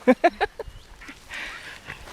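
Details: Dogs at the lakeside in Lida Nature Reserve on a summer day: three quick, sharp yips in a row, then quieter rustling and faint background noise.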